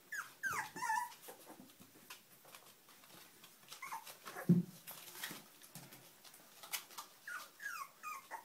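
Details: Puppies whining indoors: scattered high, bending whimpers with brief squeaks, mixed with frequent clicks, rustling and knocking in a small room.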